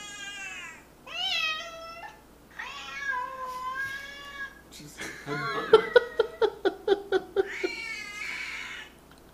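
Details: Pet cat replying to meows played on an iPad: several long, slurred harmonic meows, then a rapid series of about ten short, sharp clipped calls, ending on another drawn-out meow; indoors, with faint speech.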